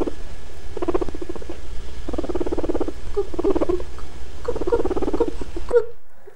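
A guinea pig makes low, rapid, pulsing chuttering bursts while exploring and investigating something new.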